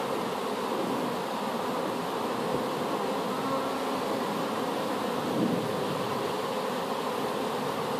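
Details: Newly hived honey bee swarm, gathered from an apple tree, producing a continuous droning buzz of many insects with a low, even hum and slight swells in loudness.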